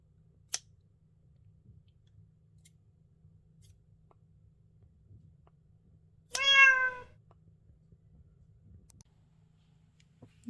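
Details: Korean shorthair cat, ginger, indoors, frightened after being shown new scissors; a single loud, harmonic meow rises then falls for about half a second in an otherwise quiet room, with a few faint clicks.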